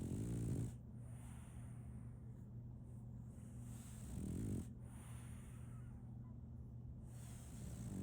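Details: Female French Bulldog puppy Solaimy snoring in her sleep, short harsh snorts near the start, at about four seconds and again at the end, with long quiet breaths between over a faint steady hum.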